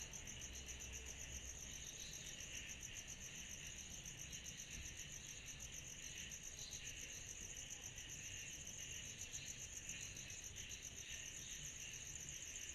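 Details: A mass of cicadas calling on a summer night, giving a ceaseless shrill, rapidly throbbing trill with a weaker lower hum that swells slightly now and then, and low rumble beneath.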